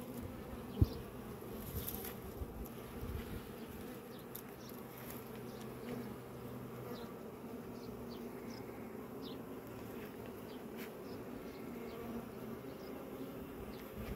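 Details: Continuous low hum of many honey bees at a hive, an even, layered drone with steady loudness and a few sharp clicks scattered through.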